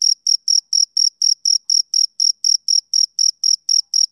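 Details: Male cricket on a summer evening: around sixteen crisp, shrill chirps in quick regular succession, roughly four each second, against a silent background.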